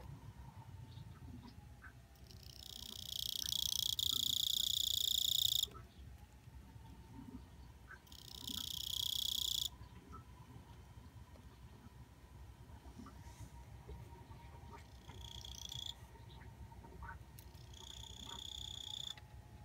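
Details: Kuchiki cricket singing in loud bursts of dense, buzzy high-pitched trills lasting about three seconds and one and a half seconds, then shorter fainter bursts, separated by quiet gaps with low background hum.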